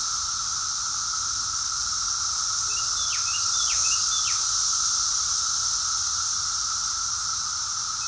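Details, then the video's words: Summer cicadas in Rockville, Maryland, USA, June 2021, their chorus an unbroken shrill hiss with a steady lower hum beneath, swelling slightly midway; several quick descending bird notes around three to four seconds in. "Cicadas song || Cicada's chorus song"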